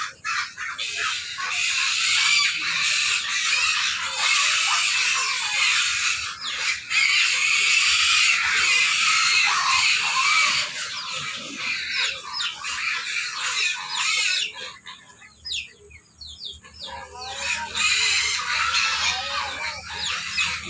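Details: Many hungry pigs at feeding time scream in overlapping, grating squeals that surge and ebb, thinning to scattered shrieks for a few seconds before the chorus swells again.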